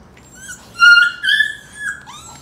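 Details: Mother Golden Retriever wrestling with her puppies while teaching them to toughen up. High, drawn-out whining yelps rising and falling, several overlapping squeals in a quiet indoor setting.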